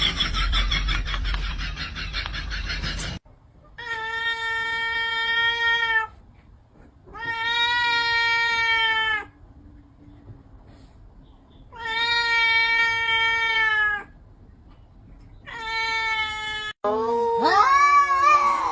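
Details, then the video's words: Fighting cats: a burst of broad noise, then four long, steady, harmonic yowls of about two to three seconds each with short pauses, ending in a rougher, wavering cry. "Cat fight"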